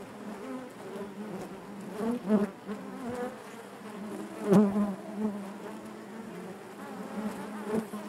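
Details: Honey bees buzzing inside their hive, a dense continuous hum centred low with stacked overtones, swelling in brief louder bursts as individual bees pass close, around two and four and a half seconds.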